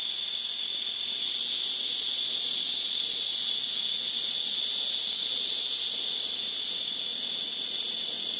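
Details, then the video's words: Loud black cicada chorus from rooftop trees at a house: an unbroken, sizzling high-pitched drone holds at constant strength throughout, with no other sounds standing out. "시끄러운 매미우는소리"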